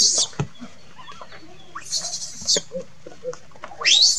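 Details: A young monkey, described as angry and crying, gives shrill, screechy cries ending in a sharp rising shriek, calling for its mother.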